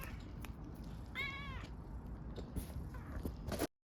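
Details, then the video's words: Backyard stray kitten in Istanbul asking for affection and food gives a continuous low purring rumble, broken by a single brief wavering meow early on, before the sound cuts off abruptly. "Adorable kitten living in the backyard purrs asking me for love and food"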